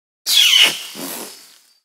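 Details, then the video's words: Female Bornean orangutan kiss squeak: one loud, harsh, smacking squeal that drops in pitch and then fades into a breathy, hissing tail, lasting about one and a half seconds. "Female Orangutan Kiss Sound"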